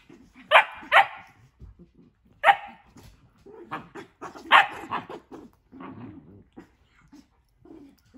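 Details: Dogs Nala and Jersey at play in their new indoor playroom, Nala not wanting Jersey in the tent: sharp barks in loud pairs near the start, another at two and a half seconds, then softer barks and low growls trailing off.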